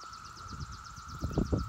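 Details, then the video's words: Brood IX periodical cicadas holding a steady, even buzzing drone, while a rapid series of thin high notes repeats above it and soft low thuds sound beneath. "Brood IX Periodical Cicada Buzzing"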